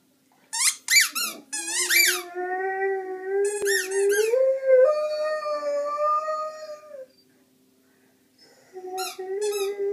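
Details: Fourteen-month-old Rhodesian Ridgeback indoors 'talking': sharp yelping squeaks, then a long wavering tonal howl rising slightly and held about five seconds, a pause, then more yips and a short howl.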